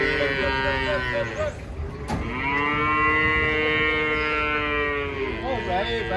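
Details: Giant cattle coming down from a truck: a wavering moo opens, then a long, steady, sustained low moo lasts about three seconds, followed by a short wobbling call at the end.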